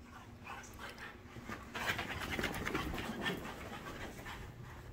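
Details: ['After bedtime zoomies indoors, French Bulldogs pant in fast, rough, breathy puffs, roughly three per second, with a louder stretch midway; a person speaks softly just afterward.']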